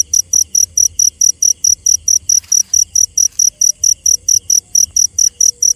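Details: A cricket calling at night: bright, piercing chirps in a fast, regular series, roughly four per second, holding an even loudness throughout, with a quiet low rumble in the background.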